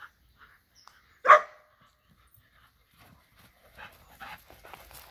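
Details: A single short, sharp dog bark rings out once, with soft scuffling and rustling afterward, while a Borzoi plays with Golden Retriever and Poodle friends.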